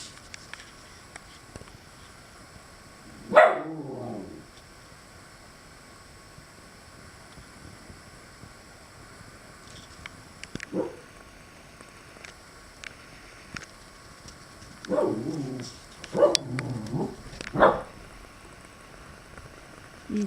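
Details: Domestic dog warning squirrels away from its tree, with one loud rough burst early, a long quiet gap with a faint sound, then a cluster of three or four harsh bursts near the end against a steady hum.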